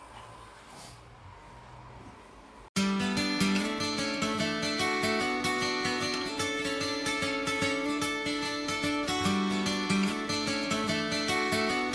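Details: Quiet room noise for under three seconds, then strummed acoustic guitar music playing steadily with no animal voice.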